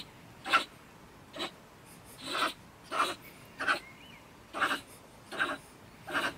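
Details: Female stone marten, or beech marten, living in a woodpile beside a shed in Germany, ranting in bad temper around 10 pm; harsh, breathy rasping bursts come roughly every second, with a faint whistled note in the background.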